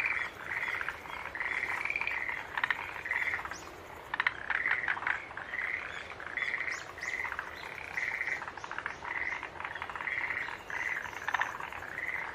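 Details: Green tree frogs keep up a dense chorus of short, buzzy, honking notes, repeated in quick groups, while sharper chirps and ticks from other callers rise above them.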